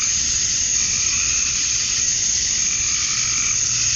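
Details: A steady, piercing cicada drone from calling males at summer dusk in Georgia, USA, even and unbroken across the short stretch.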